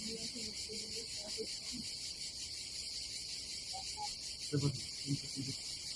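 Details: Cicadas give a steady, high, pulsing buzz on a summer day at a campsite above the Adriatic Sea in Croatia, while voices speak softly in Polish underneath.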